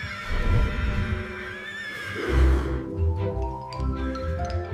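A Highland pony gives a shaky, quavering whinny that falls in pitch, over steady background music with mallet-like tones.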